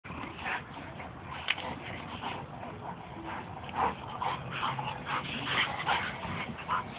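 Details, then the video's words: Two pet dogs wrestling, a white Italian sheepdog named Ciro and a black Labrador named Oly: rough, irregular play growls and snorts with short yips, rising and falling through the scuffle. "Two dogs of mine wrestling."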